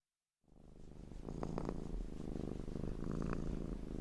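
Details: Domestic cat purring in a looped recording: after a brief silence, a steady low rumbling purr with rhythmic pulses and faint higher clicks runs to the end.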